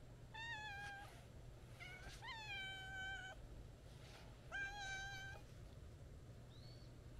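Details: Friendly white-and-brown stray cat that walked up meowing and followed on a stroll: a run of four drawn-out, clear meows, some rising at the onset then slowly sliding down, with a faint high chirp at the end and constant low hum.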